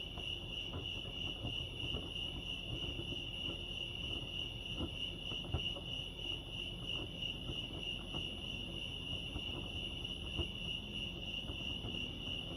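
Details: Steady chorus of crickets chirping at Lake Arrowhead, California, a level high-pitched trill running the whole time, with low background hum and a couple of brief faint clicks.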